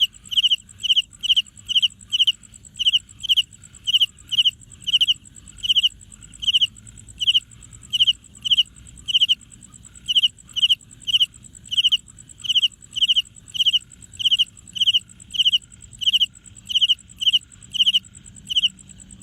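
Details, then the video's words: Cricket chirping by rubbing its wings, a steady string of high, pulsed chirps about every 0.6 seconds for nearly twenty seconds, clean and loud over faint low rumble. "ชวนไปฟังเสียงจิ้งหรีด จิ้งหรีดไม่ได้ร้อง แต่เอาปีกมาสีกันทำให้เกิดเสียงตามที่ได้ยินนี้แหละครับ"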